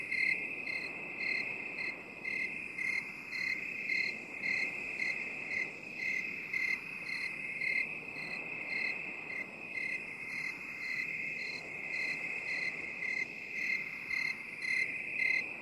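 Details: Crickets in a binaural 8D relaxation mix: a steady high, shrill trill runs without pause, overlaid by brighter chirp pulses about twice a second, while a soft, swirling hiss slowly sweeps from side to side underneath.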